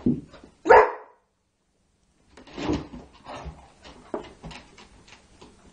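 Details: Bella, a female Labrador Retriever, wants to play ball at midnight indoors. A soft yelp comes first, then a single loud, sharp bark. After a pause, quieter scattered sounds and small thumps follow in a small room.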